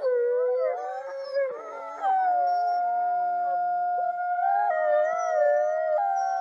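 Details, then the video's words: Chorus of several wolves howling in a looped recording, layered sustained tones at different pitches, one voice sliding upward, others wavering, with short yipping touches between the long notes. "30 Minute Wolf Howling Looped"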